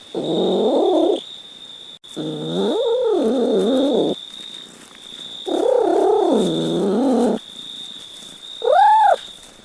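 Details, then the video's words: Cat meowing repeatedly: three long, wavering meows with rising and falling inflections, each one to two seconds, then a short, clear, arched mew; quiet gaps between calls and a steady high-pitched whine in the background. "Funny Cat Sounds"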